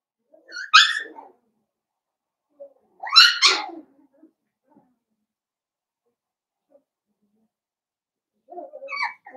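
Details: Blenheim Cavalier King Charles Spaniel puppies, a litter of five born at New Year to Paris and Spike, playing with their mother indoors: two loud, high, harmonic yelps about two and a half seconds apart, then a fainter yip at the end.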